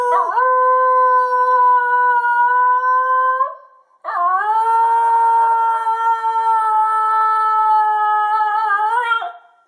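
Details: Pet Basenji giving two long, steady, pure-toned howls indoors, the first about three seconds and the second about five, each starting with a quick rise and ending with a slight upward flick.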